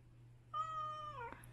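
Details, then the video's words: One of eight adopted former stray cats living together at home, meowing during summer: a single clear meow about three-quarters of a second long, steady then falling at the end, over a low indoor hum. "8 cats family Flamingo Meow"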